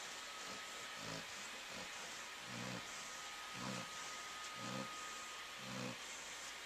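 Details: Flounder, a Labrador Retriever that has always been a snorer, asleep with Conal the dachshund resting beside her, 3/13/11; low rumbling snores repeat about once a second over a steady background hiss.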